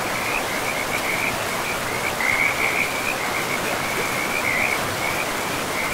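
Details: Along a forest river among moss-covered ground, frogs keep up an unbroken high, fast-pulsed trill that grows louder in short bursts, while rushing water fills the background throughout.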